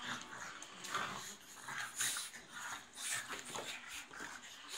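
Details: Pug; play-fight noises; playful fighting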